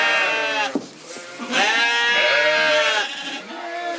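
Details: Corriedale sheep on a Canadian farm, several overlapping bleats: long, wavering, harmonic-rich cries that rise and fall, with a short gap near the first second and fresh bleats following one another.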